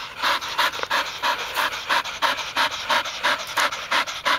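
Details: Heavy, even panting from a Golden Retriever, one of three sisters out retrieving, the youngest just a year old; loud, regular breathy strokes roughly three per second, close to the microphone.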